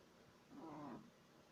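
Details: A sleeping 3-month-old Shih Tzu puppy gives a human-like snore: one half-second nasal, tonal wheeze that slides downward at the end, surrounded by a low background hum.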